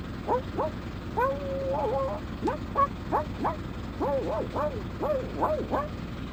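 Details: Quick yips and short whimpering whines from a dog, some notes sliding down, others looping in little arches, spaced irregularly over a steady mechanical hum.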